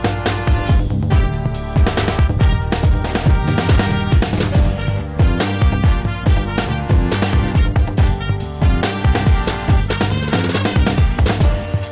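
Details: Loud, busy backing music with pounding drums and dense layered instruments throughout, with no animal sound audible.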